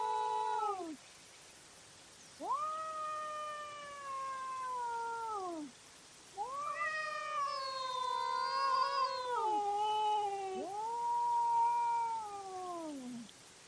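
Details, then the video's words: Cats fighting at night on a trail camera: a series of four long, drawn-out yowls, each rising then sagging in pitch, separated by short pauses, the third one wavering and overlapping another voice. "Cat Fight at Night & Call Weird Sounds"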